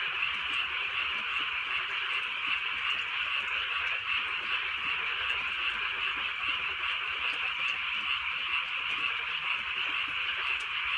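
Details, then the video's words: Countryside frogs at night during gentle rain, their massed croaking forming an unbroken, shimmering pulsed drone, with soft drips and rain hiss underneath. "개구리 소리"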